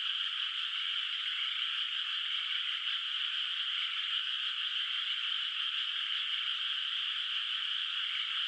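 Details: Frogs in a quiet rice field under soft moonlight, calling from afar before the rice is planted; a thick continuous chorus forms an even, buzzing wall of sound without pauses.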